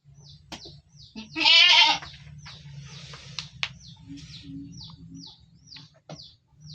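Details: A goat in its pen gives one loud, harsh, quavering bleat lasting about half a second. Soft, quick, high ticking chirps repeat in the background, with a faint low hum throughout.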